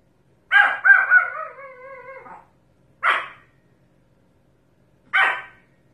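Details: Pomeranian gives a bark that stretches into a drawn-out, wavering howl-like tone lasting nearly two seconds, then two separate sharp barks about two seconds apart.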